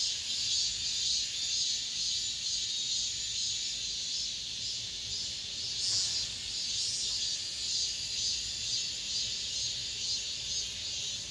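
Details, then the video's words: Last cicadas of the summer singing among apartment buildings. The high, hissing drone wavers in slow pulses, dips briefly in loudness around four seconds, then swells again and keeps going. "올 여름 마지막 매미소리"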